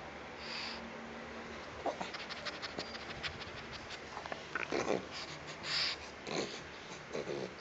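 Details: Pug. A pug snorts and snuffles in quick, breathy bursts, broken by a few short, squeaky grunts and whines. Faint room noise and soft shuffling sit underneath.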